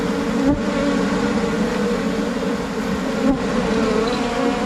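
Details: Swarm of Asian honey bees in Thailand moving into a new hive box, giving a continuous, even hum of many wings with stacked tones and two short clicks.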